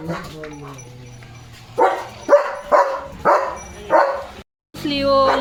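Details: Limping German Shepherd Leo, hurt in the paw, in a home courtyard: five short barks about every half second after low talking, with a voice at the close.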